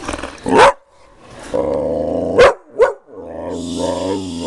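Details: Pet dog Lily gives a steady low growl between three sharp, short barks, then the rumbling growl resumes toward the end.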